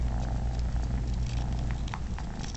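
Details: A male cat, Momotaro, licks and nurses unrelated kittens indoors, his contented purr a continuous low throb, broken by small clicks and rustles of the kittens moving against him.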